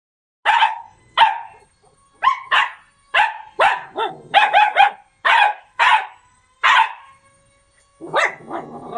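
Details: Yakutian Laika recorded in September 2020, giving a steady series of about a dozen loud, sharp barks, single and in quick doubles and triples, with a rougher, broken yelp at the end.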